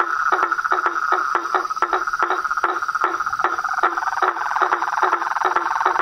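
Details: Wild frog chorus outdoors, with sharp clicking croaks repeated in an uneven rhythm, roughly two to three per second, above a continuous buzzing trill and a faint high insect hum.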